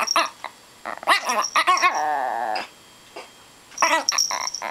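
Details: Fully grown two-year-old female micro 'imperial' Shih Tzu weighing three pounds, angry at her owner for taking away her chicken wing: short harsh bursts, then a drawn-out wavering whine-like yowl, then more rapid grumbling bursts, indoors.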